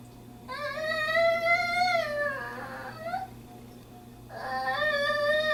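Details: Bandit, a female pet dog visiting a friend's home, vocalizes indoors to say she wants to go home: long, tonal, person-like whines, steady then sliding down, a short upturned yelp, then another drawn-out whine.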